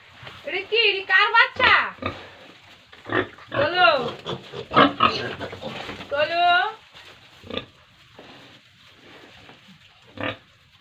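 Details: Farm pigs and piglets in Tripura at feeding: a run of shrill, arching squeals and grunts in the first seven seconds, then quieter knocks and scattered noises as the calling fades.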